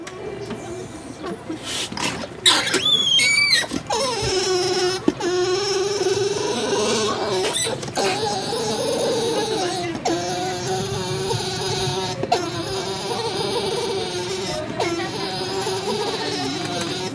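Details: Male alpaca Tuck at Tokiwa Zoo in Ube City, Japan, happy to finally meet female Jane after her shearing inside the alpaca house: drawn-out steady humming tones with slight pitch wavers, over a constant noisy indoor background and brief sharp sounds.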